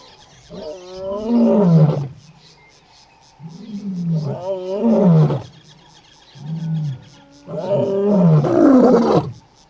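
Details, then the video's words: Lions in Kruger National Park, south of Satara Rest-camp, roaring one morning to call their brother Casper the white lion back; three deep, swelling moaning roars about three seconds apart, each lasting over a second. "Your Brothers Are Calling!"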